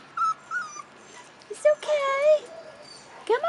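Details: Rottweiler puppies aged 4.5 weeks on their first time outdoors: short high whimpers, then a drawn-out wavering whine and a rising yelp at the end, with a person's coaxing voice.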